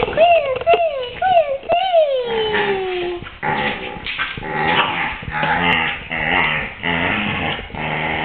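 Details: Athena, a female Samoyed, yowling while mullet fishing in 2008 as a male Samoyed and a Maltese-Pomeranian look on; four short arched tonal yowls, then a long sliding falling one, followed by mixed whines and a person talking.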